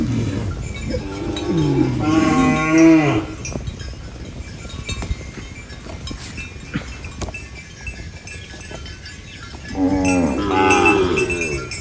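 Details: Farm cows feeding on banana leaves give two long, throaty moos, one near the start and another near the end, separated by several seconds of quieter rustling and chewing noise.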